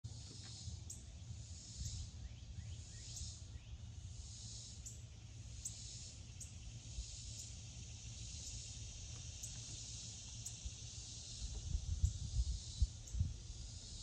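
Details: A cicada sings a continuous, shrill, buzzy drone that pulses slightly, on a summer day (4th of July) heard from a deck; low wind or handling rumble beneath swells near the end.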